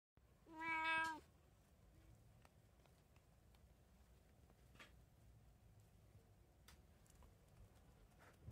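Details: Munchkin cat in a home with three cats, recorded 17 March 2024, giving one clear harmonic meow about a second long, then quiet indoor background with faint taps.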